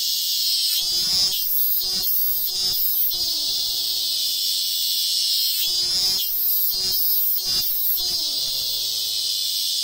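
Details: Robust cicadas singing on a sacred tree in the hills of Ehime Prefecture, Japan: a loud, continuous high buzzing drone that pulses in strength through repeated phrases, with some lower tonal sounds beneath.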